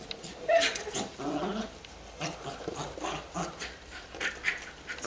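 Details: Pet dog going crazy while playing with a beach ball: short excited whines and yelping bursts scattered through the clip, with thumping and rustling of play in between.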